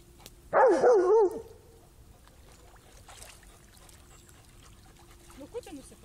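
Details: Black Labrador in a river, searching for a stick on the bottom: one loud, wavering whine lasting under a second, pitch wobbling up and down, then quiet water with a man talking softly in Lithuanian.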